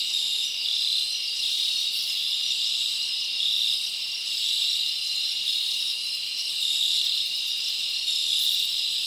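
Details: Forest crickets on a summer night, an unbroken high chorus of rapid chirps pulsing gently in intensity every couple of seconds, nothing else audible.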